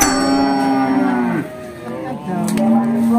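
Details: A tall Simmental-type cow at the Bekonang cattle market, Sukoharjo, Central Java, gives a steady, drawn-out low moo lasting over a second that drops at the end, then a brief pause before another low moo begins.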